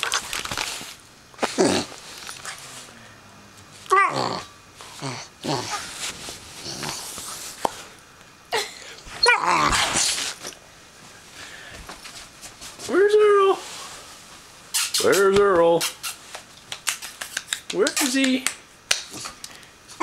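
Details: Greater Swiss Mountain Dog puppy Earl, 12 weeks old, playing on a bed and making silly noises: a few high, wavering, downward-sliding whines and yelps between bursts of rustling, thumps and people talking nearby.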